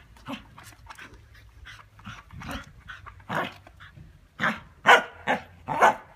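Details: Scottish Terrier playing with a ball; separate breathy huffs and short gruff vocal bursts, sparse at first, then louder and quicker near the end.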